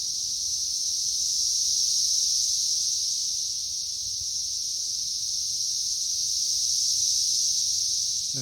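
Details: Periodical cicada brood swarming a tree during its third week, May 2024: a constant piercing high drone rising and falling gently in loudness, a short low sound at the very end.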